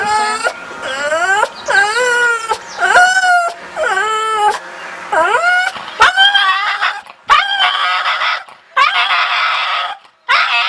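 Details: A dog making a scary sound: a series of loud, wavering, harmonic wails that rise and fall in pitch. Each cry lasts about a second and is separated by short breaks, with some bends sliding sharply downward.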